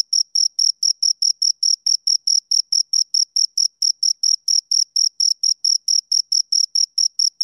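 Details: High, ringing cricket chirps from two insects, short pulses following each other steadily around four a second, clean recording with silence between beats.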